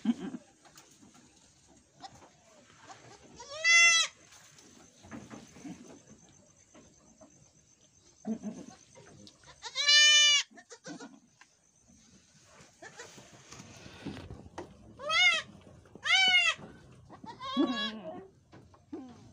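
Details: Etawah goats bleat during a birth at a goat farmer's home in Bukittinggi, West Sumatra. High, quavering, harmonic bleats come singly or in close pairs, about five across nineteen seconds. Between them are quiet stretches with low human voices and handling noises.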